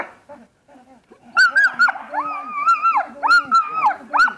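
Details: Female German Shepherd during protection training: after a quiet start, loud high whining yelps with sliding pitch, long drawn-out whines and short sharp barks burst out repeatedly, with faint human voice and noise underneath.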